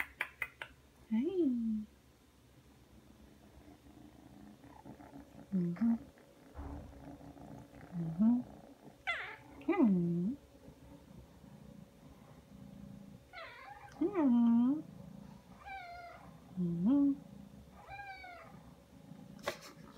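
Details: A three-month-old Ragdoll kitten indoors comes when called and kneads and sucks. It gives about eight short, low, bending meows spread over twenty seconds, with a few higher, thinner mews between them, against a quiet room hum.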